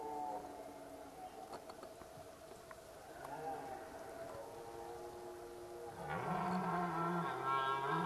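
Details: Rutting red deer at Zvārde: after several seconds of faint murmuring background, a sudden powerful bellow breaks in, a deep harmonic-rich roar that dips slightly and holds on, growing louder toward the end.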